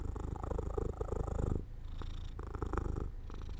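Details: Sleepy domestic cat near an open window in the sun purrs in strong, rhythmic low pulses for about a second and a half, then continues more quietly with a soft, fluttering rumble.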